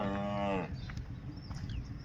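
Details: A male water buffalo, angered because another buffalo arrived from outside, gives one short, low moaning call with clear ringing overtones lasting just over half a second. Faint background noise follows.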